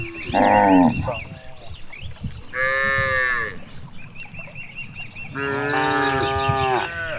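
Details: Cows grazing freely in a large rice field in the countryside give drawn-out, strongly harmonic moos, several overlapping calls rising and falling in pitch.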